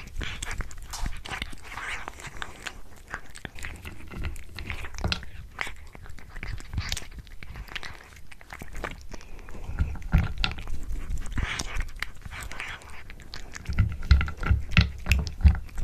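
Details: Cat eating a tuna mini stick inside a small room: long run of rapid crunching, biting and smacking at close range, intensifying toward the end with sharper, louder bites.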